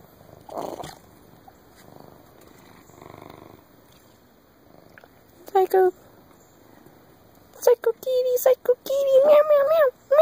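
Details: Large 20 lb black pet cat wanting attention: soft rumbling and faint voices early on, then a burst of short meows ending in a longer drawn-out whining meow that rises and falls.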